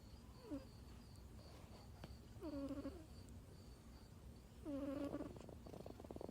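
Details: A sleeping kitten snores loudly: short whistly, tonal breaths that rise slightly, roughly one every two seconds, three in all, over a low steady room hum.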